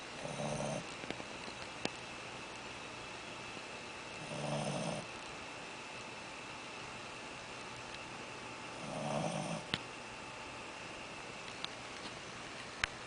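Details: A Shih Tzu puppy snores after eating too much, in slow, rumbling breaths about every four and a half seconds.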